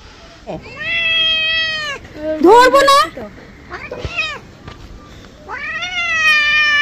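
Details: Angry domestic cat being bathed, producing long harmonic meows, a harsher strained yowl in the middle, and another drawn-out meow at the end, with light background noise.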